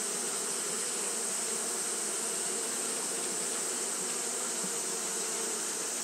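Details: Japanese honey bees fanning continuously on a hot day, a dense, steady buzzing hum with a low droning tone and a bright hiss above it, unbroken from start to finish.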